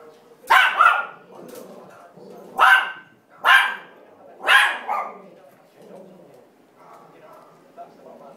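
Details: Two dogs rescued from a puppy farm react to backyard breeders shown on television; four loud, sharp barks in the first five seconds, then quieter low grumbling.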